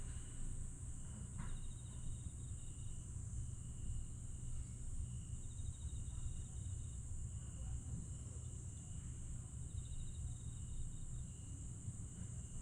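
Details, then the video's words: Grass insects on a summer night at Aewol, Jeju, 22 July 2022: a steady high shrill hum with faint pulsed trills layered above it, over a constant deep low rumble. "풀벌레 소리"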